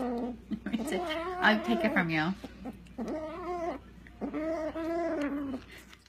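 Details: Domestic cat making weird meow noises: drawn-out, wavering, moaning yowls in three long bouts, bending up and down in pitch, with short pauses between them, indoors.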